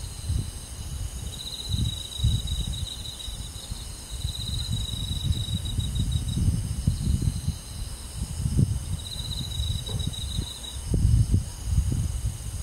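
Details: Crickets chirping on a summer night in a rural forest: high, steady metallic trills in long bursts of several seconds, separated by pauses, over a low rumbling thumping background.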